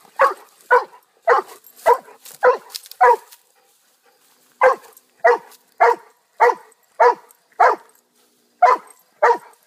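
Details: A pet dog gives a quick run of six barks, falls silent for over a second, then resumes with a steady string of short, mid-pitched barks ending in slightly wider gaps.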